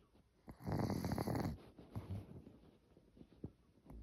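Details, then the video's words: Elderly Maltese dog named Cookie asleep indoors, making a single rough, rattling snore-like breath in the first second and a half, then softer uneven breathing and small snuffles. "숨소리인지 코 고는 소리인지"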